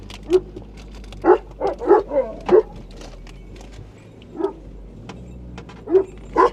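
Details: Anatolian shepherd dogs, Malaklı and Akbaş types, surround a car in Anatolia, guarding their flock and the home they belong to. Deep, booming barks come in irregular bursts, about nine over six seconds, heard from inside the car.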